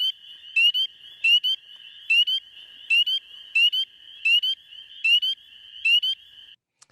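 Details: Spring peepers, frogs heard near water in spring, give sharp, rising peeps about once a second over a steady chorus of more peepers.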